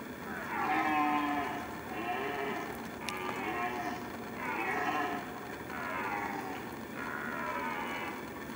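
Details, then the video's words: Red deer stag in the rut, giving a run of five hoarse, groaning roars spaced about one to two seconds apart, each swelling and fading, with a faint hiss in the background. "Red stag roaring, rut season /Jelenia ruja"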